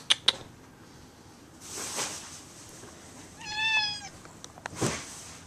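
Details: Cat inside a house, pleading to go outdoors: sharp clicks and bursts of rustling noise, with a single short, clear meow in the middle that rises slightly.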